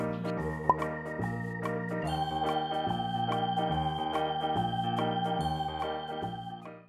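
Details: Upbeat electronic organ and keyboard music plays with a steady bass pattern, and no animal sound is heard.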